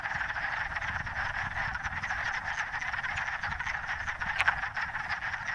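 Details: Wood frogs in a forest vernal pool on the first warm days at the end of winter: a dense breeding chorus of males calling to attract mates, short clucking croaks overlapping into a continuous roar. Finding: wood frog.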